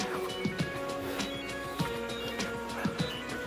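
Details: Music plays with steady tones and soft percussive clicks, and no animal sound is heard.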